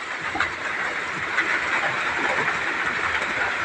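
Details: Loud continuous broadband hiss with a mid-range rushing noise and occasional soft clicks, no animal call present.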